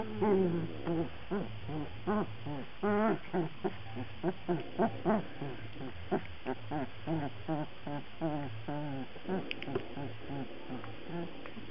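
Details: Black Labrador Retriever puppies whining in a steady stream of short, wavering squeals, some rising and falling, repeated roughly every half second over a low background hum.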